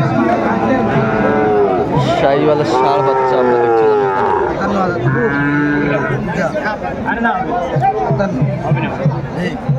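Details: Sahiwal bull calves at a busy cattle market in Kurigram, Bangladesh, on 22 March 2025. Drawn-out, harmonic moos rise and fall over several seconds, half-buried in a constant hubbub of men bargaining and chatting nearby.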